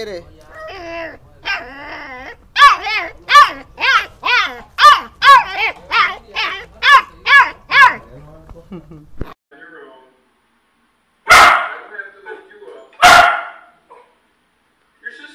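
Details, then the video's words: Dog barking in a compilation of funny dogs and puppies: a quick run of about a dozen high, tonal, yelping barks, then a pause and two harsh, noisy barks spaced roughly two seconds apart. "Dog Barking - Funny Dogs Barking And Puppies Barking"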